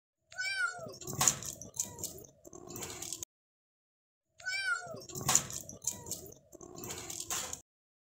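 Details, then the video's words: Kitten in the house meowing: a high, wavering meow followed by clattering and scratchy noises, then the same sequence repeated after a short silence, with a faint voice in the background. "Cute Pet Kitten in The House"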